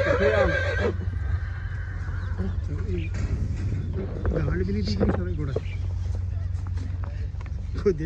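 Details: A Nukra horse, just unloaded from a truck at the Muktsar Sahib horse fair, gives a loud, quavering whinny over a steady low hum and people talking.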